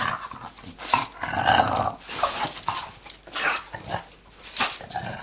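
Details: Old French bulldog, ten years old, playing with its owner: rough, breathy growling and snuffling in uneven bursts across the clip, mixed with scuffling movement noise.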